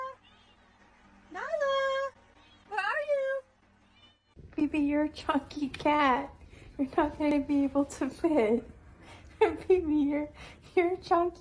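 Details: Two clear drawn-out meows from a domestic cat, then a rapid run of shorter bending, harmonic cries, many in a row with brief gaps, alongside human talk indoors.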